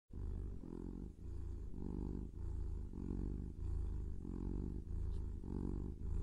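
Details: A kitten purring: a steady, deep rumbling purr that swells and fades in regular breathing cycles about every second, with no other sounds.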